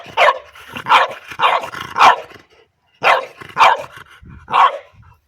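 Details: Playful French Bulldog barking at an orange pipe toy, seven loud, harsh barks, four close together, a short gap, then three more, spaced roughly half a second apart, with a person speaking encouragingly nearby.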